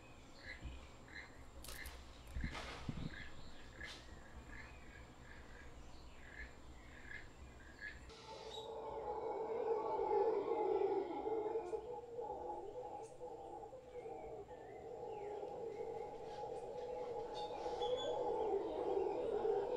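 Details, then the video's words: Howler monkey troop in a Guanacaste tree: faint scattered chirps and rustling at first, then a loud, continuous deep roaring chorus rises and swells for the last twelve seconds. "Howler Monkeys in Guanacaste"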